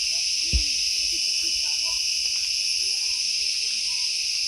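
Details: At The Habitat nature park on Penang, Malaysia, heard from an elevated walkway, a dense chorus of many cicadas makes a loud, steady, high-pitched shrill drone; a sign says they reach 120 decibels.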